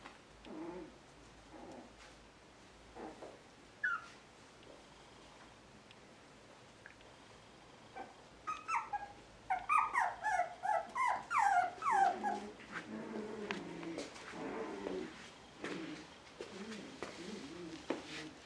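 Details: Puppies at a Shiba Inu and Samoyed breeder in the Netherlands, November 6, 2018, now staying awake longer. High squealing whines, sparse at first, then a dense burst of rising and falling whimpers before tapering to lower grumbling whines, indoors.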